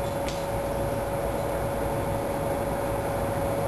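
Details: Heavy rain pours steadily during a summer storm on a deck, with a constant hum and no animal calls heard.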